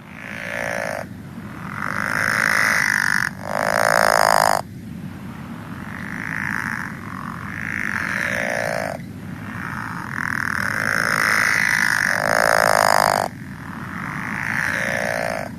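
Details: Pickerel frog (Lithobates palustris) advertisement call: long, rolling snores creaking back and forth like a rusty door; the species calls from mid-March to the end of spring.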